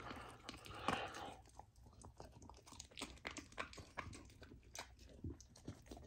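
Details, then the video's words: Golden retriever puppy named Lilo, on a raw diet, eating raw lamb for the first time indoors: wet chewing, crunching and biting sounds in irregular bursts, with louder crunches near the start and scattered smacking throughout. "Puppy tries raw lamb for first time! ASMR Eating Sounds"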